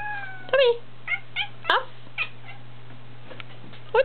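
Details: Cat giving a series of short meows, the first longer and falling, followed by several brief clipped mews spaced irregularly over four seconds and one final rising meow, over a steady low electrical hum.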